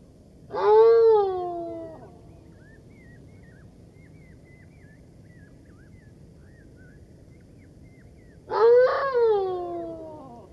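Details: Golden jackal howling: two drawn-out wailing cries, each about a second and a half, rising then sliding down with rich overtones, separated by a long pause in which faint high bird whistles are heard over quiet background hiss.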